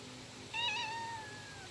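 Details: Pet cat meowing once: a clear, tonal, drawn-out meow with rich harmonics, gently falling in pitch over about a second, against a steady low background hum.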